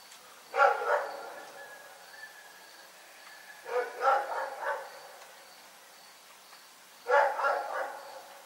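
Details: Dog barking at night: three bouts of two or three rough, mid-pitched barks each, spaced about three seconds apart, over a quiet background with faint steady hum.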